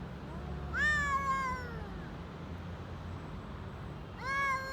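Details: Stray street cats in Istanbul, Turkey, hungry and meowing while eating: one long drawn-out meow that climbs then falls away, and a second rising meow starting at the end, with low background rumble.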